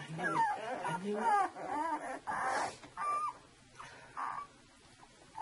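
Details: Saluki litter at two weeks old: clear wavering whines that slide up and fall, several short cries in quick succession, then quieter muffled squeaks.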